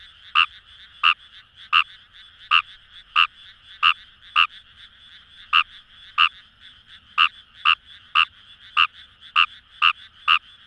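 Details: Kawamura's rice frog calling in wild paddy fields along the Kamo River, Itoshima, Fukuoka, Japan: short, sharp croaks repeated roughly every half second to second, about sixteen in ten seconds, over a steady buzzing chorus of more distant frogs.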